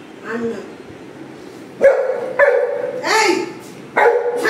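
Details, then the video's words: Golden Retriever whining while begging for carrots at home: high, drawn-out yelps and whines rising and falling, several in a row, with a person speaking briefly. "গাজর খাওয়ার বায়না করে গড়াগড়ি দেওয়া"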